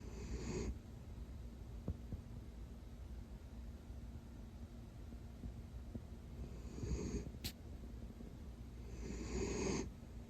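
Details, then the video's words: Miniature dachshund named Mac, a pet sausage dog in Dublin, Ireland, sleeping snuggled under a cozy blanket; soft breathy snores, one at the start and two more near the end, with quiet room hiss between. "Mini dachshund's mini snores compilation"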